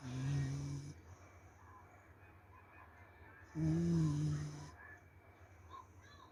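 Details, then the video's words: Sleeping corgi snoring: two low, droning snores about three seconds apart, each lasting roughly a second, with quiet room hiss in between. "lucunya corgi tidur ngorok"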